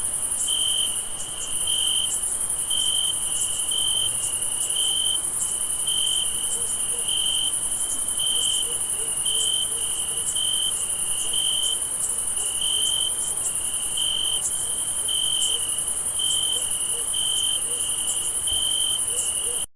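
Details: A night chorus of crickets in a forest: steady, high pulsing chirps over a thin, continuous shrill trill.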